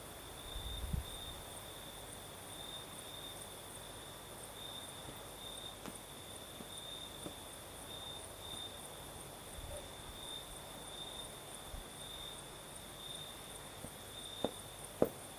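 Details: Crimean night with crickets singing in the south, a thin, high, unbroken trill flickering in short pulses above a quieter background hiss of breeze, broken by a few faint clicks and soft knocks.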